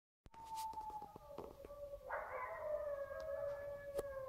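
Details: Wild wolf pack howling at night near a lake, under 100 m away, recorded on a cellphone: long, steady, smooth tones hold and glide slightly, several voices overlapping, with a brighter howl joining halfway through.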